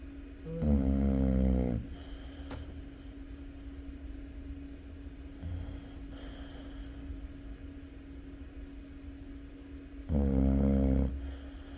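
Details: Chow Chow snoring: two loud, throaty inhaled snores roughly nine seconds apart, each just over a second of low buzzing rattle, with quiet breathing and a steady hum between them.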